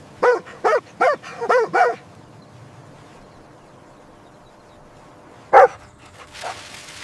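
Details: Puppies joyfully play-fighting on fresh green grass: five rapid high barks in under two seconds, a long quiet gap, then one more sharp bark and a softer trailing yip.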